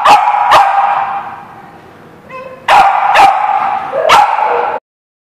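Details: Dog barking, recorded 7 November 2016: two sharp barks, a lull with a faint tonal sound, then a rapid run of three barks with ringing, harmonic tails before a sudden cut to silence.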